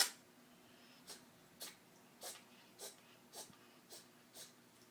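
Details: Meowzer, a male cat, giving aftershock sneezes at the tail end of a minute-long sneezing fit: a string of soft, sharp, airy bursts roughly every half second, with a louder one at the start.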